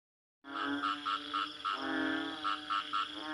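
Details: Frog croaking after a brief silence: a steady low nasal drone with rich harmonics, broken by short pulsed buzzy notes repeated about every quarter second, with one longer pulsed croak in the middle.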